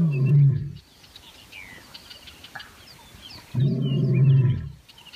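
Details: Two short, deep roaring bursts from playful wild lions, a second apart at each end, separated by quiet with faint bird chirps in the background.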